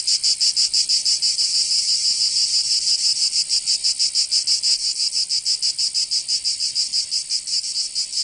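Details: Cicadas in Provence, southern France, singing in summer; a high, grating buzz pulsing fast and fairly regularly, loud at first and easing slightly toward the end.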